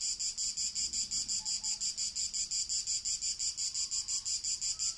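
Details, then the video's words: Summer's first cicadas on 28 June 2018 in natural ambient sound, their shrill, sizzling drone throbbing in regular beats close to three per second, loud and continuous, with faint soft tones in the background. "Le prime cicale"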